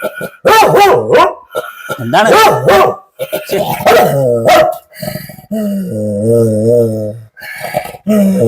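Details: Barks from an irritable eleven-year-old dog come in three rough clusters of sharp, noisy yaps over several seconds, while a human voice keeps talking to it before, between, and after.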